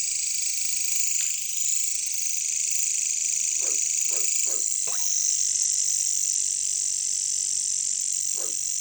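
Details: Katydids, or bush crickets, in a jungle setting: a dense, steady high-pitched buzzing drone fills the background while low, short croaking pulses break in about six times, mostly clustered in the middle.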